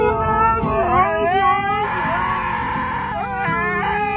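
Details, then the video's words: A dog making funny vocal noises: a wavering, whining howl that slides up and down in pitch with rich overtones, bending sharply at moments, held almost continuously over a low hum. "Dogs Making Funny Sounds"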